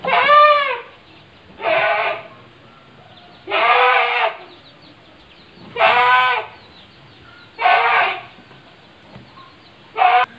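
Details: Domestic goats in a farm pen in Ngrambingan village, Panggul, Trenggalek, Indonesia, kept with three pregnant does and one young future buck; six loud, nasal, wavering bleats repeat about every two seconds with quiet gaps between.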